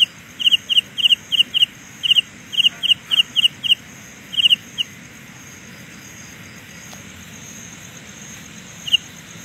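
A Carolina ground cricket gives a run of short, high, buzzy chirps, about three each second, for nearly five seconds. After a long pause one last chirp sounds over a soft background hiss.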